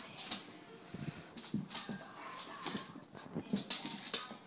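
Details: Pet dogs Buddy, six years old, and Brooklynn, eleven months old, making soft whimpers and snuffling noises in short bursts, with sharp clicking taps scattered throughout and a faint human voice in the background.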